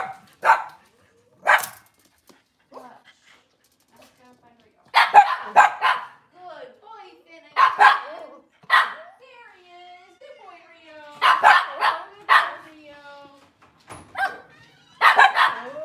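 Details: Cavalier King Charles Spaniel in a kitchen on a cloudy Monday morning, where breeder's moms, puppies and dads are kept. Sharp barks come in scattered pairs and clusters with quiet gaps, mixed with higher whining tones.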